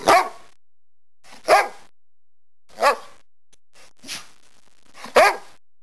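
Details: Turbo, a rescue dog kept indoors, gives sharp, loud single barks, about five in six seconds, spaced roughly a second or more apart with quiet gaps between, and one softer bark near the end.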